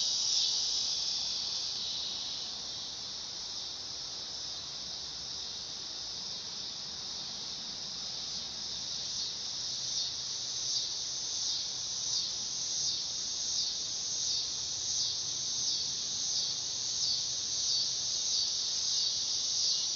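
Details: Dog-day cicada (Neotibicen canicularis) singing: a loud, continuous high-pitched buzzing drone that holds steady throughout, with a faint rhythmic pulsing that grows stronger in the second half.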